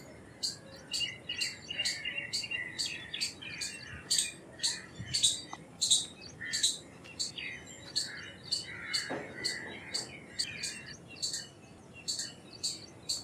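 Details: Indian palm squirrel calling: sharp, high chirps repeated rapidly, about two or three each second, in uneven bursts, with one longer, lower squeak near the middle and a faint rural background.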